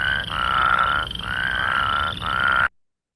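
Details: Plains Spadefoot, a secretive species active mostly at night, more often heard than seen; whirring call. Three long, steady, buzzy trills each about a second, separated by brief gaps, loud and clear, then abrupt silence.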